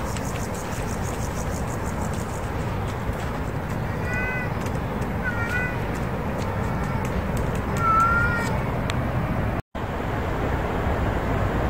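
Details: Street cat called Daejang crying from below for the other cat, Keun-yang-i, to come: three groups of short harmonic meows, rising then falling, over constant low urban traffic hum.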